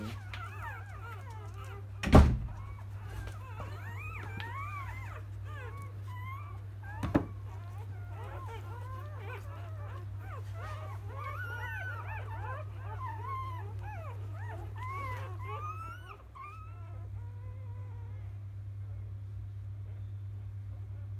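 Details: Newborn field-type Labrador Retriever puppies from a litter born to Biscuit, a 2017 JFA grand champion, after nursing in the morning: a dense chorus of thin, rising-falling squeaks and whines from several pups over a steady low hum, with two sharp knocks.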